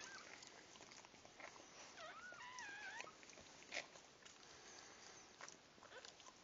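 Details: Newborn puppies at their birth give a few thin, wavering whines that rise and fall, clustered around the middle, over a steady background hiss with scattered soft clicks and rustles.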